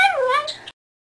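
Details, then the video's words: Chica, a female pet Chihuahua who regularly 'talks', making a short whining, speech-like vocalization meant as "I love you": a wavering tone that dips then rises, about 0.7 seconds, ending abruptly in silence. "Talking Chihuahua says "I Love You""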